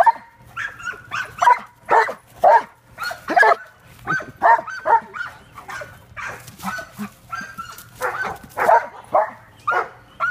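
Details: Giant Schnauzer named Stealer chasing a flashlight, giving a rapid series of high, excited yips and short whiny barks, about two each second, with brief pauses between bursts.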